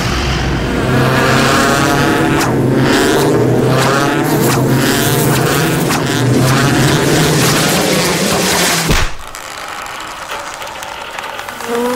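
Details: Revving engine of a racing car at steady loud drone, cutting sharply near nine seconds to quieter rumble; no animal sound.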